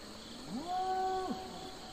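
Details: One bovine from a farm herd gives a drawn-out moo. The voice swoops upward, stays flat and rich in overtones for under a second, and breaks off with a quick downward slide. Faint insect-like buzzing persists behind it.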